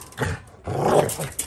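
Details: American Pit Bull Terrier named Duke Nuke Em during spring pole work: a short low grunt, then a sustained rough growl of about half a second, with people talking in Korean nearby.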